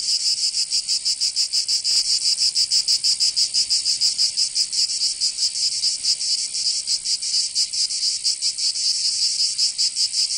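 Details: Cicadas singing in summer in Provence, southern France: a dense, buzzing high-pitched chorus pulsing rapidly, a little more than four pulses a second, steady throughout with no other sounds.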